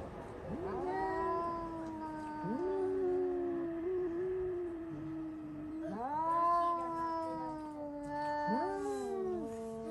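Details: Indoor house cats scream abruptly, set off by spotting a cat outside: long, drawn-out overlapping yowls that rise sharply, hold a steady wavering tone, then sag. Fresh wails start about every two to three seconds.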